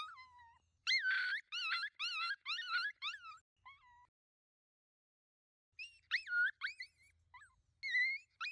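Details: At night a pack of five coyotes approaches a thermal scope user: a rapid chorus of bouncing yips and quavering howls, then a few seconds of silence before more yipping resumes.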